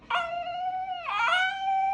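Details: Female dog vocalizing as if talking, asking for food; one sustained, even, harmonic howl-like whine that dips and wavers briefly in the middle, then holds steady for nearly two seconds.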